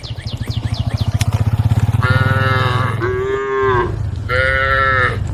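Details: A group of tame cows on the road give long, drawn-out moos to call the herd, over a low throbbing rumble.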